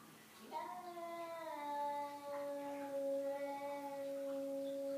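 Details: Savannah cats Zumani and Malaila meeting an unwanted visitor: a long, steady, tonal yowl with strong harmonics begins after half a second and holds for about four seconds, dipping slightly lower partway through, with quiet room noise behind it.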